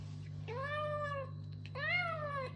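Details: Kitten making noises while eating: two drawn-out, slightly rising then falling meows with a steady low hum in the background.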